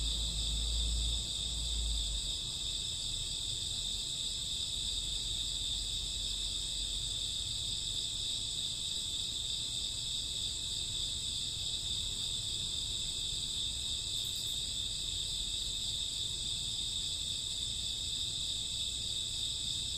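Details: Night chorus of crickets and grassworms in summer or autumn, a continuous high-pitched shimmering trill layered in several steady bands, unbroken across the whole stretch, with a brief low thump near the start.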